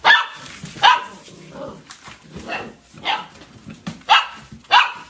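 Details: Golden Retriever puppies in a rapid burst of high-pitched yips and small barks, six or seven in quick, uneven succession.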